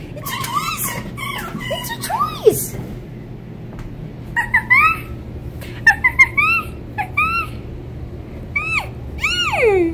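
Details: A rescued female red fox named Winter, born on a fur farm and still learning to trust, whines when affection stops: repeated bright, wavering, nasal whines in short bursts, ending in a long falling whine, with faint indoor noise.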